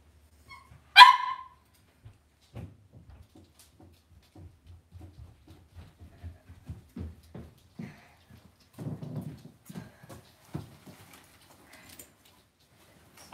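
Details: Cavalier King Charles Spaniel puppies raised indoors in a home puppy pen. A single sharp, bright yip rings out near the start. Soft, low shuffling and muffled thumps from the pen follow.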